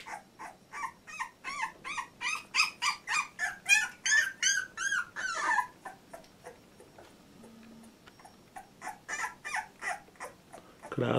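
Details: Fourteen-day-old Labrador Retriever puppy from litter J, whimpering indoors: rapid, high, squealing whines repeated about three times a second, loudest in the first half, a short lull, then softer whines resume.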